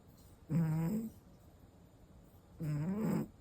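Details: Five-year-old male American Shorthair cat snoring, recorded 1 June 2025: two low, droning, tonal snores about half a second each, spaced roughly two seconds apart, with faint room hiss between.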